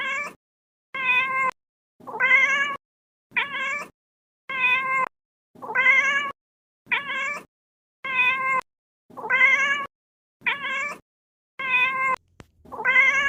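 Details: Little kitten giving a steady series of about eleven short, rising meows, evenly spaced roughly every second, each clear and bright against silence.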